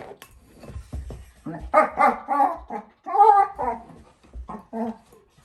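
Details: Playful four-month-old German Shepherd puppy girl with her bowl, making funny noises: a series of short, tonal, moaning whines and yowls rising and falling, separated by brief gaps, with soft knocking beneath.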